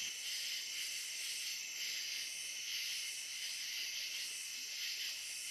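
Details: Dusk-to-dawn riverside recording of cicadas on the Licking River in Morning View. A continuous, even, high-pitched shimmering drone swells and fades slightly in slow pulses, with no other clear sounds.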